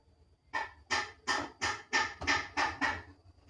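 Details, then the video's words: Two young kittens calling: eight rapid, raspy, slightly descending mews in about two and a half seconds, evenly spaced, loud and close, with a quiet room behind them. "ANAK KUCING MEONG MEONG"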